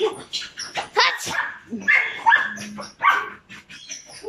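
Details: Belgian Malinois puppies, five months old, one brown and one black, barking in quick uneven bursts with sharp high yelps, voices talking in the background.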